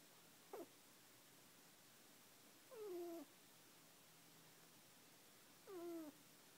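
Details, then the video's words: Fudge, a chocolate Netherland Dwarf rabbit, sleeps indoors and snores in squeaks: three short, harmonic, downward-sliding squeaks spaced roughly two and a half seconds apart over a quiet room hush. "Snoring Bunny!"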